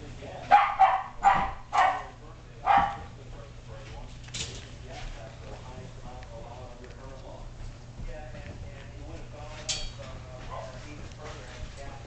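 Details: Adult Shetland Sheepdog named Sasha barking beside a litter of five-week-old Sheltie puppies as they drag a tiger toy around their pen enclosure; four sharp, loud barks in the first three seconds, then soft human talking and rustling.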